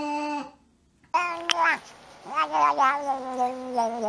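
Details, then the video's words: Talking cat making long wavering yowls that rise and fall like babbled speech, with a brief gap and a sharp click between calls. "Talking Cats"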